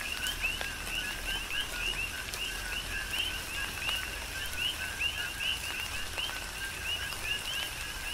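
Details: Tropical rain on the Big Island of Hawaii with a continuous coqui frog chorus: repeated bright chirps sliding upward in two steps, many frogs at once, interspersed with sharp raindrop taps and gentle background rain.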